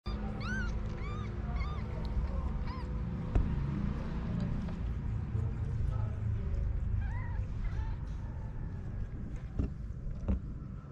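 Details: Homeless mother cat with her kittens on the street in Morocco: a quick run of short, high, arching mews in the first three seconds and another pair near seven seconds, over a heavy low rumble of street noise.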